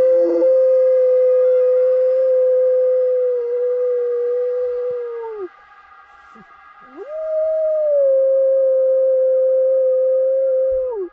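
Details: Caucasian Shepherd Dog (Canis familiaris), howl.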